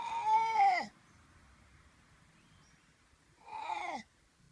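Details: Koala giving two drawn-out harmonic cries, each under a second long, arching up and then falling. The calls are separated by about three seconds of quiet, with faint background hiss.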